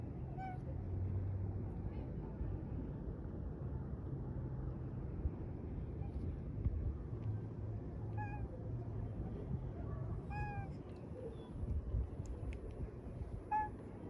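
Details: Pet cat at a peaceful dusk giving a handful of short, soft meows spread across the recording, each a brief tonal mew, over a steady low rumble of passing traffic.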